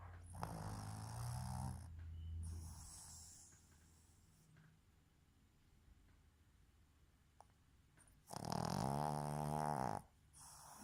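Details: Female Boston terrier asleep with her eyes open, snoring: rough, rumbling snores with a low buzzing tone, three long breaths of about one to two seconds each, the last and loudest near the end.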